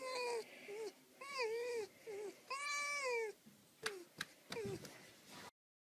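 A fox gives a series of high, wavering, whining calls, each rising and falling in pitch.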